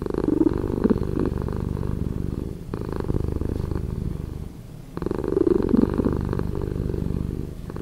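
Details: Deep, slowed-down cat purring with a grainy, pulsed texture, loud at the start, softening in the middle, then a sudden strong swell just before the five-second mark that carries on to the end.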